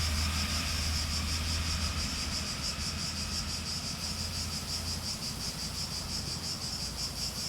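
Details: A chorus of cicadas makes a dense, high buzzing that pulses faintly and rapidly, layered over a constant low hum.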